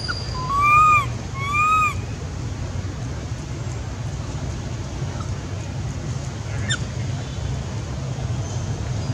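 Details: A baby macaque on the way to Angkor Wat gives two clear, whining cries that rise and fall, calling for its mother.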